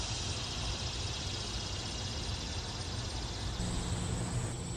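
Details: Annual cicadas in a yard in summer, the males singing to attract females, give a steady, high, hissing buzz over a low rumble of traffic.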